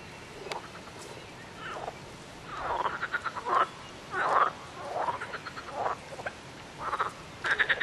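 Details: Several frogs croaking together in rapid pulsed rattles, bursts overlapping and following one another roughly once a second, varying in loudness as different callers join in.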